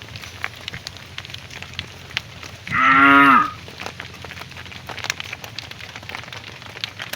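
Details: A cow calling to its herd mates as the cattle are herded back to the barn in the afternoon; one loud, rich, slightly wavering moo lasting under a second, set against constant crackling and rustling noise.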